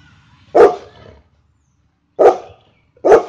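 A golden retriever gives three deep, loud barks, the first separated from the next two by a long pause.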